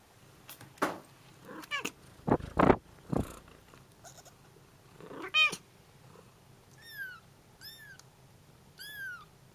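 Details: Bengal cat family, kittens calling their mother who answers: loud low-pitched meows and grunting calls in a cluster, followed by three thin, high, downward-curving kitten cries spaced about a second apart.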